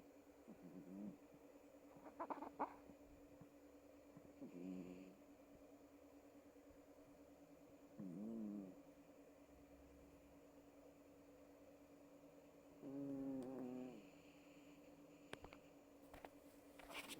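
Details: A small Chihuahua snores while asleep. Soft, rough nasal snores with a buzzy, layered tone come about every four seconds, rising and falling with each breath. A steady low hum runs underneath, and a few sharp clicks sound near the end.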